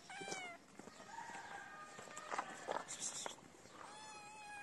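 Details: Kitten calling for food near its mother: a short falling meow, then rustling and soft murmurs, then a second drawn-out meow near the end.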